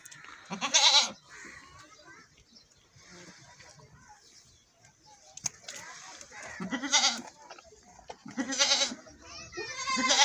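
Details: Goats during milking, with loud bleats repeated at intervals of about six seconds and nearby speech between the calls.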